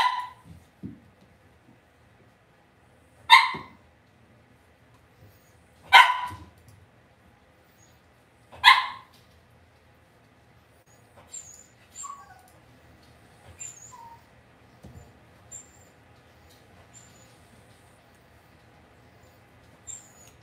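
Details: Cavalier King Charles Spaniel puppies raised indoors in a home puppy pen at Red Barn Cavaliers. Three sharp, high barks come about two and a half seconds apart, followed by faint squeaks and soft rustling in the pen.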